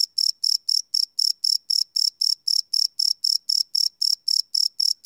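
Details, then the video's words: Crickets at night, recorded live on a Sony PCM D100: sharp, ringing high chirps follow one another roughly four times a second, each a short buzzy burst, with nothing else audible. "Cricket Chirp Sound - Cricket Sounds at Night"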